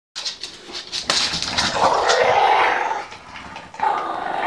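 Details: Olde English Bulldogge, female, making funny noises with a ball stuck in her teeth; a rough, drawn-out growling moan swelling over about two seconds, preceded by short snorting bursts, indoors.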